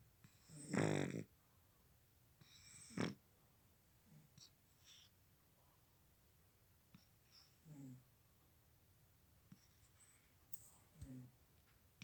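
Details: Snoring cat: two loud raspy inhalations in the first three seconds, followed by a string of quieter snuffling snores and small snorts spread irregularly through the rest of the sleep sounds.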